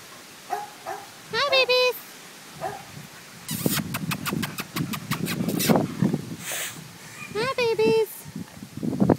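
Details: American Pit Bull Terrier puppies, five weeks old, a litter of five males and one female born April 14, 2013: short rising-falling whines with bright harmonics come in brief bursts near the start and end, while a woman talks and laughs.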